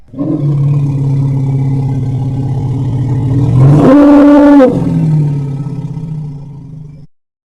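An elephant gives a deep, steady rumble broken by a short, brassy trumpet blast.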